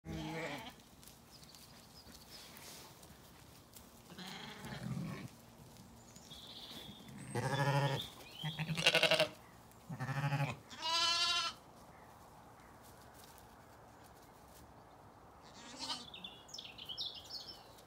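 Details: Zwartbles ewes and lambs on a farm in County Kilkenny, Ireland, calling back and forth to reunite after the morning rush for breakfast in an orchard: several loud, wavering bleats in a cluster, some deep and some higher, over quiet background noise.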